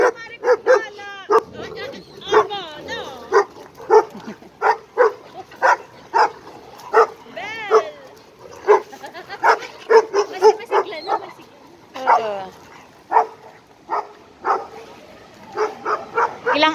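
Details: At a dog park, an Irish Wolfhound aged 11 months and an Italian Mastiff play together. Rapid bursts of hoarse, harmonic barking repeat through the recording, roughly two per second, with occasional yelping squeals between them.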